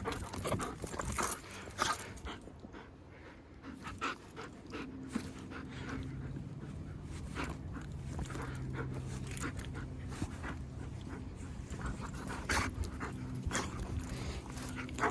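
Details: Wolfdog that wants to play, panting steadily in quick, breathy broadband puffs throughout, with a low background hum and scattered soft clicks and rustles.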